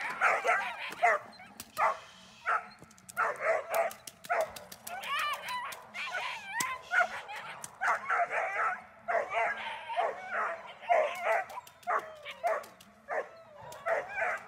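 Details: German Shepherd named Dornan during protection training, barking hard in rapid repeated bursts for most of the clip, short pauses between volleys, with sharp clicking snaps scattered throughout.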